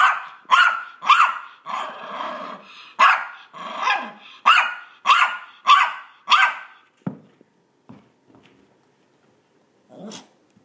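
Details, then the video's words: Maltese dog playing fetch, making mock-fierce noises: about ten quick high barks mixed with rough growling, then quieter thumps and a final soft sound near the end. "Maltese Dog Makes Funny Noises and Plays Fetch"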